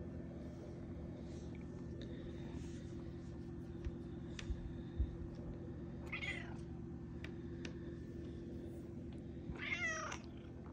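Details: Malia, a pet cat, wakes early and meows at her owner: two short harmonic meows, the second higher and more strained, over a steady low hum and faint scattered clicks.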